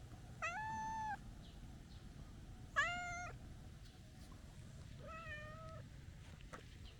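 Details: Calico stray cat begging to be stroked, gazing upward: three clear meows roughly every two to two and a half seconds, the first two strong and level, the last softer and lower, over steady low background noise.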